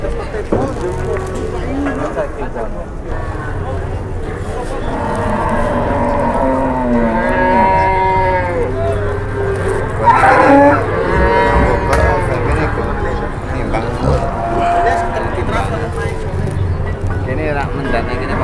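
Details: Several cattle lowing at an Indonesian livestock market, overlapping moos with stacked harmonics rising and falling through the middle, a strong call near ten seconds, steady crowd noise and talk underneath.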